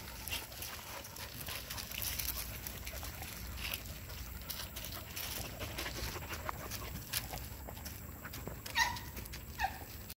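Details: Adolescent dogs at play make scuffling, rustling noise, with brief high whines and yips near the end.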